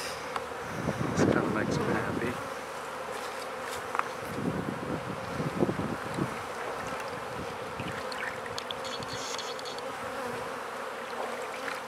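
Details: Honey bees buzzing around newly set-up beehives during feeding: a steady, droning hum of many wings, broken by thumps and knocks of hive handling and brief rustling.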